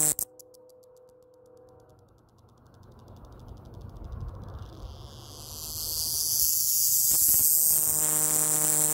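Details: A male scrub cicada, believed to be Diceroprocta cinctifera, sings intensely in southern New Mexico: a high, hissing buzz that swells out of quiet and holds steady, loud enough to distort the mic.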